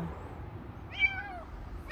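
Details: Stray kitten's single sharp, high meow that arches up then slides down, with the start of another cry at the end, against a faint low traffic-like rumble.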